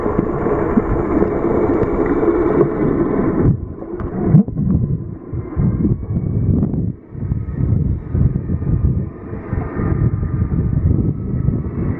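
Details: Heavy low wind and engine rumble dominates throughout, buffeting the microphone with no animal call audible.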